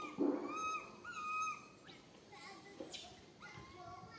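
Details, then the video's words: Fearful cries from tiny baby monkey Santos, stranded alone on a tall tree and calling its mother: a loud harsh note, then clear arched whistling wails with strong overtones, then fainter cries after a high squeak. "Calling Mum Helped while Stuck on high tree alone Tiny baby monkey SANTOS Cry very fearful"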